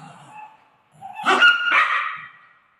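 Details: Golden retriever at play with its owner gives a single strained, whining bark that rises then trails off, after a faint low murmur.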